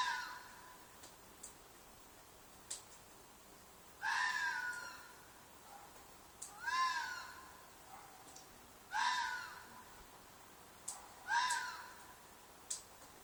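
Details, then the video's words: Red fox screaming at night from a field behind an apartment; loud hoarse shrieks about half a second long, each dropping slightly in pitch, repeated irregularly every two to three seconds with faint clicks between. "Fox Noise - Fox shriek/call/cry/mating call"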